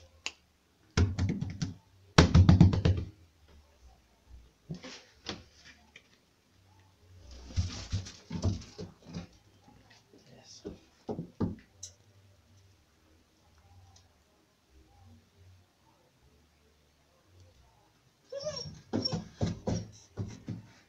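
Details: A female German Shepherd puppy gives short bursts of rough, harmonic yelps and barks with quiet gaps between.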